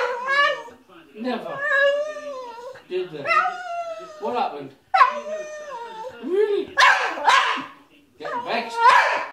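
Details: Staffordshire Bull Terrier singing its whah whah song: long, wavering, tonal whines in phrases of one to two seconds that rise and fall, broken by brief pauses, ending in harsher, breathier bursts.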